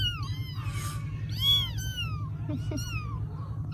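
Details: Several rescued baby kittens in Vietnam at bedtime: overlapping high meows and squeaks in quick succession, one loud arching cry midway, over constant low hum and soft background music.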